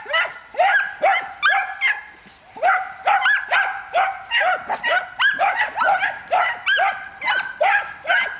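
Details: Three one-year-old Miniature Wire-haired Dachshunds, two males and a female, in hunting pre-training and urged to bark at game. Rapid, overlapping high yapping barks and yelps, roughly two per second, run on without pause.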